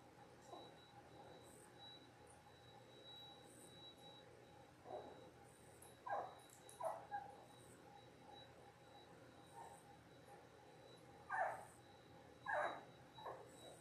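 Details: Ten-day-old Labrador Retriever puppies, a litter of six born January 18, 2022, on a live puppy cam; scattered short high whimpers and squeaks at irregular intervals over a steady faint hum.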